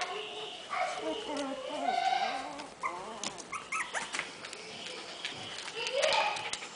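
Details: Havanese puppies, four weeks old, offspring of Kisses and Teddy, give thin, wavering whines that rise and fall. The squeals come in short, scattered bursts against soft room noise.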